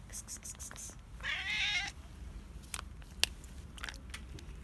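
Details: Hungry ginger cat, a basement dweller that went outdoors for food, produces one harsh, slightly rising meow of under a second, surrounded by scattered clicks and light rustling.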